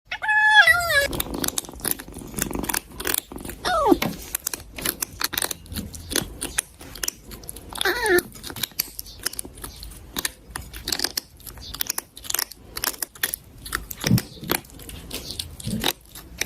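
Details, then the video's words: Cat crying for food and then eating indoors: a brief wavering meow opens, followed by steady wet chewing and crunching clicks, with a faint drawn-out whine partway through. "HE CRIES FOR FOOD AND EATS WITH FUNNY SOUNDS."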